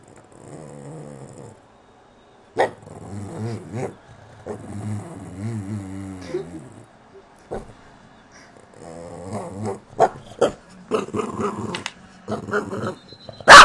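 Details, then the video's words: Whiny Boston terrier giving warbling, grumbling moans that waver up and down in pitch in bursts of one to three seconds, followed by choppier vocal bursts and a loud knock at the end. "Whiney boston terrier"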